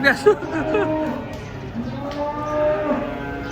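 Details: A cow unloaded from a truck gives faint, drawn-out lows, with a sharp knock at the start and a quiet stretch between calls.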